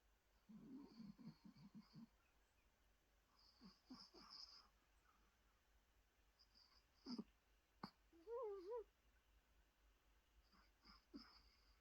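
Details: A Chihuahua named Ruso snores while deeply tired, with soft, low breathy rasps in quick bursts and pauses, a brief whiny squeak midway, and a quiet indoor background.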